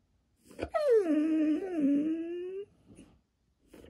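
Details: Female Siberian Husky answering a smart speaker indoors, upset at being insulted; one sustained whiny howl opening high, dipping, then holding steady and rising slightly for nearly two seconds, in a small room.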